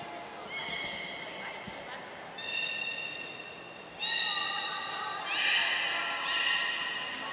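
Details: Belugas Gray and Mirai in training at Port of Nagoya Public Aquarium, Japan, 15 June 2022: clear, steady tonal whistles held for about a second, followed by rougher rising buzzy calls, in a reverberant room.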